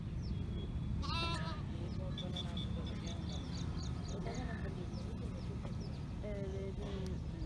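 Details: Sheep (Ovis aries): a lamb bleats, calling its mother, amid other quavering sheep calls and steady background noise.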